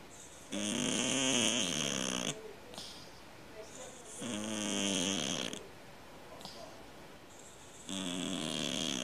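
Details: Snoring cat, said to snore like a man: three loud, rattling, buzzy breaths, each lasting one and a half to two seconds and coming about every three and a half seconds, with soft breathing between them indoors.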